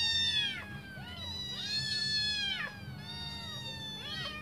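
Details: In a short burst, several of five hungry kittens awaiting their mother's return for a feed let out piercing, rising-then-falling mews. About four calls overlap, with a soft background hum.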